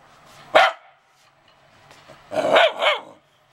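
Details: Dog complaining, recorded on a PowerShot SX260 HS camera: one sharp bark, a short pause, then two quick barks close together in a brief burst.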